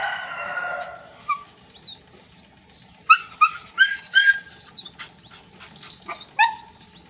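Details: German Shepherd puppy opens with a drawn-out whining cry, then after a pause lets out a rapid string of short, high yapping barks, with one more sharp yap near the end over a soft background rumble.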